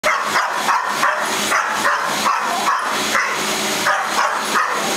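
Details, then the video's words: A dog barks in quick, sharp, repeated bursts at a vacuum cleaner running in a family room, whose steady mechanical roar fills the background. "My dog, Mauka, barking at a vacuum cleaner"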